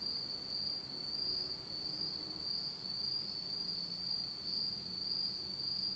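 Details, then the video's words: Japanese autumn insects heard in total darkness at night: a bright, sustained high trill with a soft pulsing beat, loudness rising and falling gently. "真っ暗闇の秋の虫の声 Beautiful sound of insects in the fall of Japan in total darkness."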